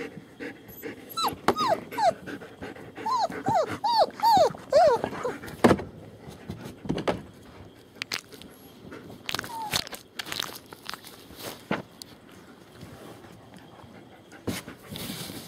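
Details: German Shepherd puppies from a litter born 28 January 2015 at a kennel in Mayo, Florida; a burst of high, falling whimpers in the first five seconds, then quieter rustling and clattering with a single later whine.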